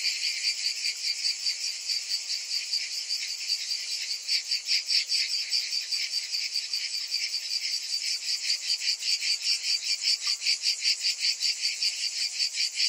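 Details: Many cicadas calling together in summer, a loud sizzling high-pitched wall of sound with rapid rhythmic pulsing about twice a second, swelling slightly midway and holding steady to the end.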